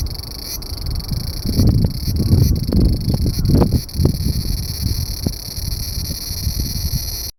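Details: Large brown cicada calling from beneath a loquat branch, half hidden: a continuous hissing, sizzling buzz that never pauses, masked in places by loud low rumbles and scattered knocks.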